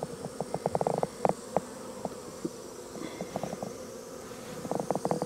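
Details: Honey bees milling about confused after their hive entrance was blocked, giving a steady mid-pitched droning hum, broken by light ticking and tapping bursts as bees bump around the hive.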